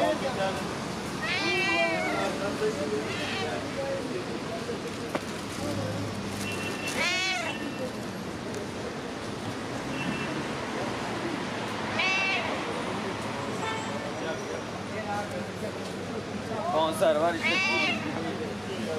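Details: Friendly street cats greeting and demanding attention outdoors in a town; several drawn-out, wavering meows spaced a few seconds apart, rising then falling, over steady human talking and distant traffic hum.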